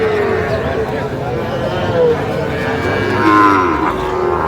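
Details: Sahiwal bull calves at a market, 8/5/25; short bellowing moos, one sliding downward, heard through a loud hum of market crowd and speech.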